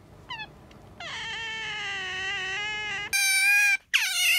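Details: ['Pet otter calling indoors: a few faint chirps, then a sustained, steady, high whining squeal for about two seconds, followed by two louder, shriller squeals with a brief break between them.']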